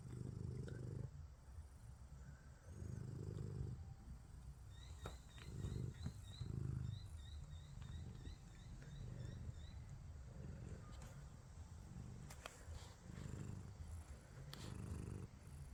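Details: Domestic cats sleeping at home, snoring and purring: low rumbling pulses that swell and fade in slow breathing rhythm, with faint high chirping in the background.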